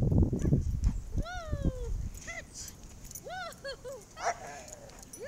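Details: Irish Setters Sassy, Maple, Lilly and Callie playing in the snow: one dog gives a long, high whine that slides downward, then a run of short, arched yelping whimpers, after a burst of crunching movement.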